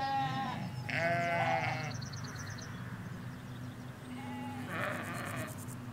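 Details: Sheep, ewes with their lambs, in a field in the Hampshire countryside, captured in stereo beside a hedge: three quavering bleats in six seconds, one long and tremulous, over a constant low hum.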